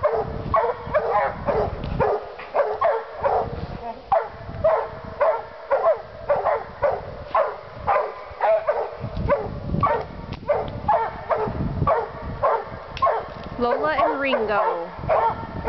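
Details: Two Walker hounds treeing like crazy, a dense run of rapid overlapping barks and bawls at nearly two per second, with a drawn-out wavering howl near the end.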